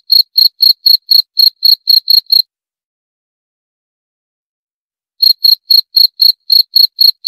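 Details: A cricket chirps in quick high pulses about four per second, falls silent for nearly three seconds, then resumes the same shrill, regular rhythm; no other noises.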